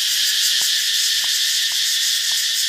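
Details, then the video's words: Katydids heard in Thailand around 9:30 in the morning near a beach, making a loud racket: an unbroken, piercing high buzz that pulses rapidly and evenly, with several brief faint taps in the background. "Katydid Noise in Thailand"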